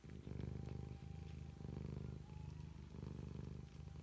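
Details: Bengal cat purring, a steady low rumble pulsing continuously through the clip with a faint thin tone above it.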